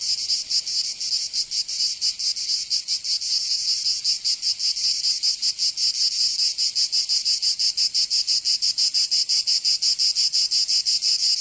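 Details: Cicadas in Provence, southern France, during summer: an intense sizzling buzz with fast pulsing that grows more even and pronounced toward the end, nothing else audible.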